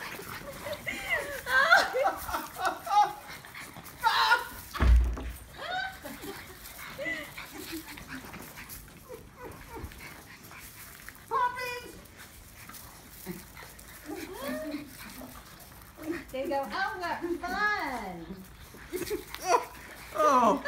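French Bulldogs snarl, grunt and yelp in bursts of rising and falling whines while fighting.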